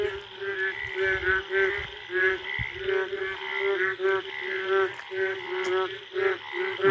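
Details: Wild Indian frogs in a jungle at night after the first rain, mating calls: a dense chorus of pulsed, rattling croaks rising and falling about twice a second, with a noticeable echo.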